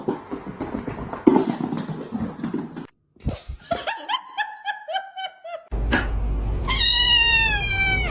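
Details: Domestic cat meowing indoors: a noisy stretch of clatter and voices, then a quick run of short repeated meows, followed by one longer, drawn-out wavering meow over steady background hiss.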